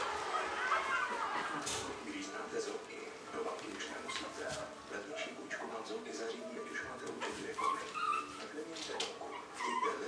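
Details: Shih Tzu puppies, a litter 4.5 weeks old: scattered high thin whimpers and squeaks, irregular and overlapping, with human speech and rustling in the background.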